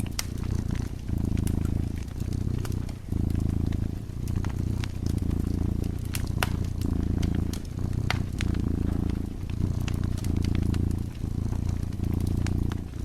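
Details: Dozing cat purring beside a burning fireplace: a deep, steady rumbling purr that swells and pauses with each breath, roughly once a second, while sharp crackles and pops from the fire sound throughout.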